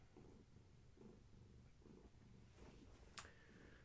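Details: Indoor evening purring from a house cat with Gaia's kittens, the litter of a long-haired tabby, amid play and massage; low rhythmic purr cycling roughly every second, then a sharp click near the end.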